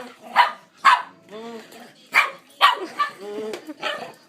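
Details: Pepper, a pet dog, chasing a pretend "vacuum" while a person makes noises: four sharp, broadband barks spaced about half a second to a second apart, with hummed, wavering human vocal noises between them.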